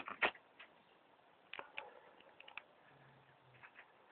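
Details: Pregnant female New Zealand White rabbit, two weeks along and sick with Pasteurella, gives a single sharp, explosive sneeze near the start, then softer snuffling clicks. A person's voice is heard quietly.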